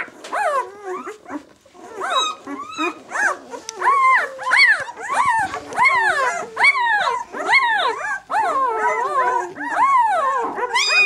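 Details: Newborn White German Shepherd pups, aged six days, B litter "of White Night", squeal steadily in loud, arched, high-pitched cries repeated roughly every half-second, several pups calling over one another.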